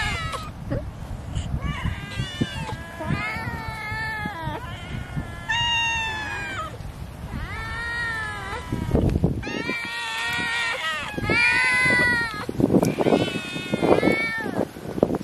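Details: A cat, or more than one, fed fish, meowing repeatedly; arched, harmonic meows arrive about every second or two, mixed with clattering and low background noise.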